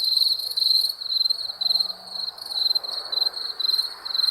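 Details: High, ringing cricket chirps at night, pulsing in quick bursts about twice per second, with a brief faint low hum partway through.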